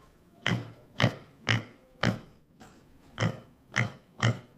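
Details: Pig oinking: eight short, low, nasal grunts in a steady series, about two every second, with one softer grunt in the middle and a quiet background.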